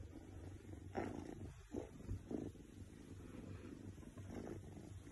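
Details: Oriental Shorthair cat purrs contentedly while feeling good, a soft, low, steady rumble.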